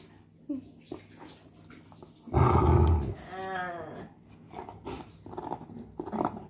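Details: Angry growl from Sheeba, a German Shepherd kept from chewing a coconut shell: a harsh low burst of under a second, then a wavering, higher whine-like tone, with faint background noises around it.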